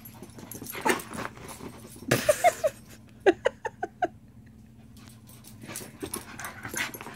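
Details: A Shiba Inu kept from a shared item by another dog gives a run of about eight quick, nasal whimpering yelps over two seconds. Before them comes a breathy huff, and quieter snuffling follows.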